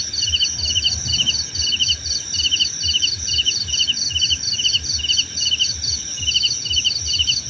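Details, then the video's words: Crickets in a nature recording made for relaxation and sleep: short trilled chirps repeat steadily, a little more than two per second. A constant high ringing hum sits above them, with soft low rumble underneath. "Suara Jangkrik Membahana!"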